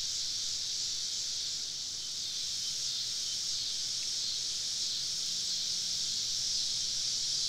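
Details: Summer evening cicada chorus deep in southern woods at a campsite, many insects all around: a steady, dense, hissing high drone without breaks, slight swells in intensity, nothing else clearly audible.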